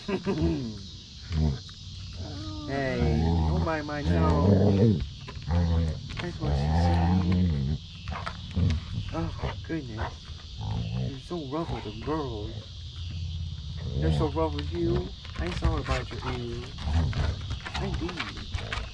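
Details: Basset Hound named Mo playing with his sisters on a deck, greeting in his own way: wavering, drawn-out howling and grumbling vocal runs that rise and fall, with a human voice and background hiss.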